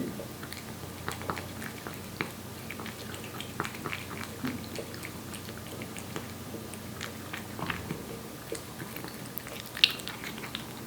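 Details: Wet-food meal of Aeppi, a Korean Shorthair cat one year old, born July 2018. Scattered crisp clicks and moist chewing noises run throughout, with one sharper bite near the end.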